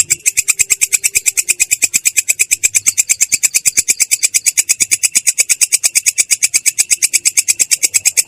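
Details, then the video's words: Continuous ngerol from a belalang kecek katydid, voice clear and rough. Sharp, high, buzzy pulses, roughly seven per second, repeat with steady regularity from start to finish in a quiet room. "belalang kecek ngerol!!! suara jernih kasar"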